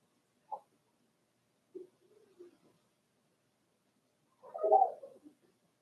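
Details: Four-week-old Cavalier King Charles Spaniel puppies in their indoor pen give a few short, soft squeaks and grunts, then a louder, wavering whimper near the end, with quiet gaps between.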